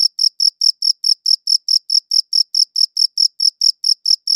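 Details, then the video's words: A cricket chirps in crisp, evenly spaced bursts, roughly four or five per second, high and clear against silence, recorded with a good audio recorder. "Cricket Chirping Sounds"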